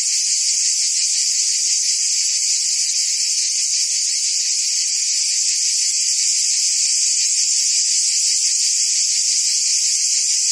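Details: Steady wall of cicada buzzing from forest trees, piercing and metallic, sustained without pause over about ten seconds, with a light rapid pulsation and nothing else audible.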